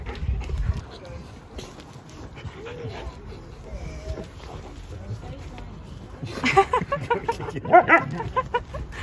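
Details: Siberian Husky visiting a friend's house, giving soft, wavering whine-like calls that bend up and down in pitch mid-clip, followed by louder clattering bursts near the end, with people talking throughout.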